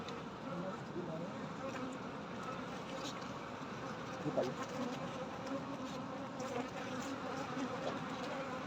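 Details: Honey bees buzzing at night during a honey harvest: a steady, low, droning hum that holds throughout, with brief faint clicks and a soft voice in the background.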